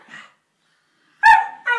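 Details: Two Staffordshire Bull Terrier pups in play: a faint low grumble, a pause, then a loud high bark and a quick following yip, close and clear.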